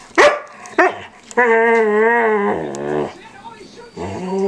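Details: Standard poodle pup Micah, 8 months old, playfully nibbles his older companion poodle's ears and face in a small room, producing two quick yelps, then a sustained wavering harmonic moan and a lower grumble.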